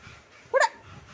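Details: Mischievous pet Labrador Retriever gives one sharp, short bark with a bright harmonic ring, lasting about a tenth of a second, against faint low room noise after its owner coaxes it in Tamil to hand something over.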